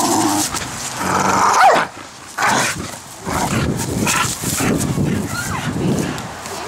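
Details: Pit bull in a backyard barking at people playing with a giant bubble maker; loud broadband barks come in irregular bursts, mixed with people talking, laughing and shouting nearby.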